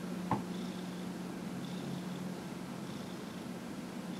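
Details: Purring of Dillard, a domestic cat aged 15 and a half, during a massage recorded January 31, 2018: a continuous low, even rumble after a brief tap at the start, with faint rustling above.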